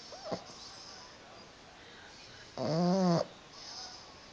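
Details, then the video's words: Pug snoring: one deep, throaty, voiced rumble lasting about half a second, with a wavering pitch, bracketed by softer hissing breaths. "Carlino roncando"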